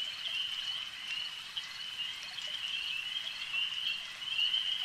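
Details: Frogs at a lake giving a constant high, rasping trill as one blended chorus, slightly uneven in volume, with soft drip-like clicks scattered through it.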